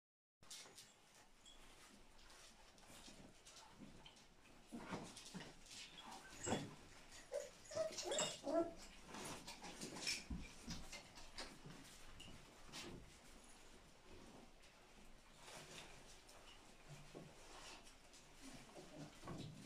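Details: An English Springer Spaniel whines and whimpers excitedly in greeting as its female owner arrives home, with snuffling and shuffling indoors.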